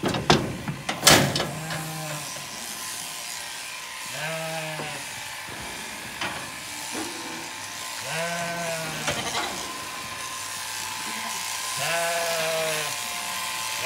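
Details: Bleating Zwartbles sheep at a County Kilkenny farm in Ireland, where lambs failed to recognise their newly shorn mother; four quavering, harmonic bleats roughly every three to four seconds, following a sharp clatter at the start.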